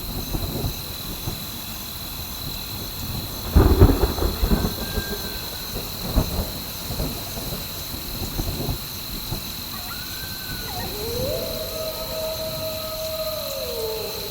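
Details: Wolves heard during a thunderstorm with rain: rumbling thunder bursts and steady rain, then a sustained level howl rising in at mid pitch near the end and dropping away after a couple of seconds, with a brief higher wavering tone before it.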